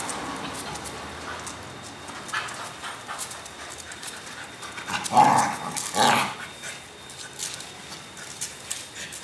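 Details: A Cocker Spaniel playing in a home's backyard barks twice in quick succession midway, with soft background noise and faint voices.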